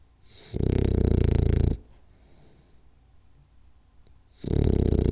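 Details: Two rasping, low snores from Rolly the French Bulldog asleep on a power nap, each about a second long with a quiet spell of nearly three seconds between them; faint hum underneath.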